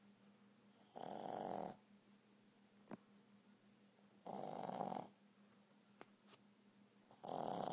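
A Boston terrier snores in loud, rasping bursts, each breath lasting under a second with quiet gaps between.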